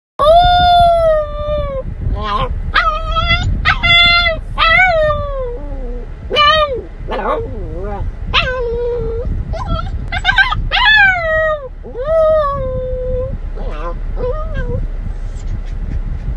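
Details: A dog waiting in a car for its owner howls in drawn-out, wavering notes broken by short yelps and whines over a low rumble.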